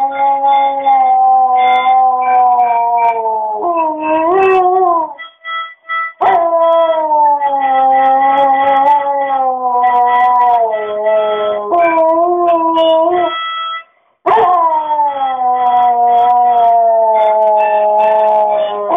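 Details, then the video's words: Siberian Husky howling along to a flute: long, loud, sustained howls with rich harmonics, each slowly sliding downward, repeated with brief breaks, woven together with steady flute tones. "Husky dog sings to flute!"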